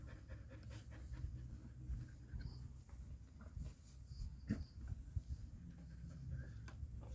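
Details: Golden Retriever dog panting while giving birth, with a home-style delivery. Low, rough, steady breathy rasps run throughout as a dense, continuous wash of low sound, with a few faint clicks and soft background noises.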